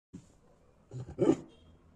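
A dog gives a short, rough, low growl that swells briefly and fades.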